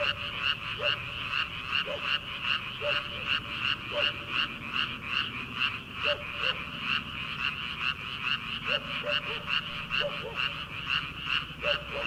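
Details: Early-summer frog chorus in rice paddies ahead of transplanting. Rapid, steady pulses of harsh croaking roll on without pause, layered with occasional deeper single notes from other callers.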